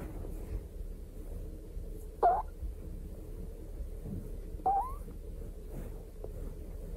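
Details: A pet hedgehog, eating during a Christmas party indoors, gives two short, rising squeaks a couple of seconds apart over a low indoor hum.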